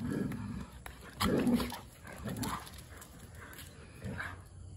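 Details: Two dogs, Robin and Dheera, playing together with a chair; short low gruff barks or growl-like yelps in bursts about once a second, with faint background noise and a steady hum.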